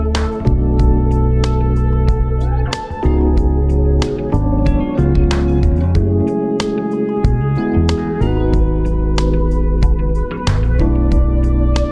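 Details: Guitar-led music with steady plucked strings and bass fills every moment; no animal voice is heard.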